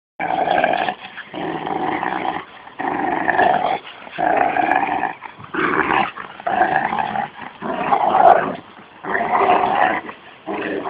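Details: Two young dogs at play, a 13-month-old Rottweiler and a 6-month-old Jack Russell cross, one of them growling: rough, throaty growl bursts of about a second each, separated by short pauses, in a small indoor space.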